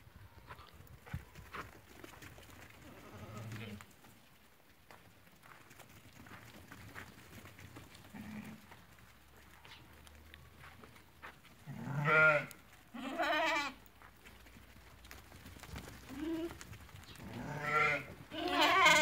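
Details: Ewes that have lambed, penned for sale at a market in Fquih Ben Salah, Morocco: after a stretch of background market bustle, several sheep bleat in close succession, quavering and harmonic, overlapping toward the end.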